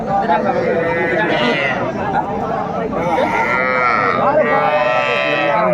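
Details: Sahiwal calves, small bulls and heifers, at a busy cattle market in Barishal, Bangladesh, on 8 May 2024 during bargaining. Several drawn-out, nasal moos rise and fall across the recording over steady crowd chatter and nearby voices.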